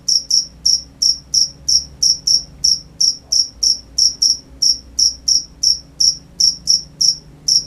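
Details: A cricket chirps at night in sharp, high-pitched pulses, about three each second at a quick, even pace, the only sound apart from a faint low hum.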